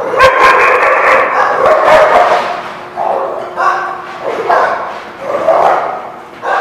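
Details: Dogs at The Barking Lot on February 17, 2017 bark in a steady stream: a dense burst of overlapping barks first, then separate throaty barks every half second to a second.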